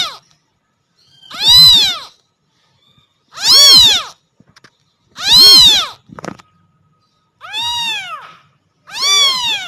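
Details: A kitten meows loudly for its mother cat: five clear, wailing meows arriving about every two seconds, each an arched rising-falling cry, with small rustling sounds in between.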